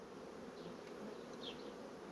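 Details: Steady, broad, droning buzz from honey bee colonies that are rapidly building comb on foundation sheets. A short high chirp rises briefly above the hum midway through.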